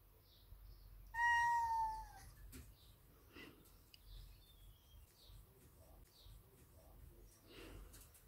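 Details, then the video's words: Large male Ragdoll cat asking for his daily cuddles with a single loud meow of about one second that slides gently downward, followed by near silence with faint rustles. "Cutest Cat Meowing for Cuddles - Ragdoll"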